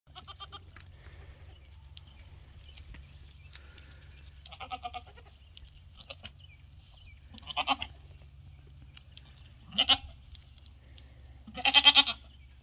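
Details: Goats on a farm, a two-week-old mini Nubian kid meeting a Nigerian Dwarf herd; four wavering, nasal bleats spaced a few seconds apart and growing louder, over a steady low hum.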